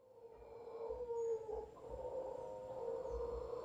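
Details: Howler monkeys, a large troop in a tree in front of a property in Guanacaste, give a steady droning howl centred low, sustained throughout with a slight swell near the end.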